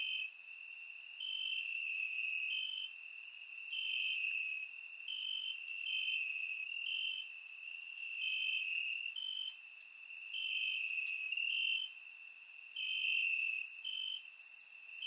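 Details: Warm summer night in Bulgaria with crickets chirping in the grass, surround microphone recording; dense high trill with regular short pulses alternating two close pitches, backed by faint sizzling insects higher up.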